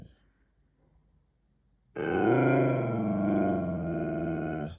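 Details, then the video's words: Siberian Husky demanding a treat, vocalising indoors. After two seconds of quiet comes one sustained, rich, moaning woo that bends up and down in pitch and holds steady to the end. "Husky talking back demanding treats"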